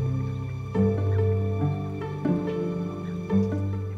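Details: Soft, slow instrumental music with sustained low tones and gentle chord changes; no animal calls are heard.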